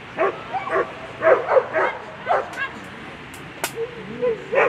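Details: German Shepherd at a world championship agility competition, sharp high barks in quick bursts, several per second, mixed with a person's voice and crowd noise.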